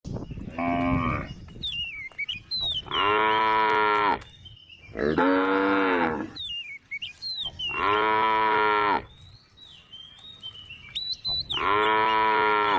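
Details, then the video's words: Tame female cow on the road beside rice fields, lowing in four long harmonic moos of roughly one to one and a half seconds each, with thin whistled bird calls slipping into the gaps between them. "the sound of a tame female cow on the road beside the rice fields"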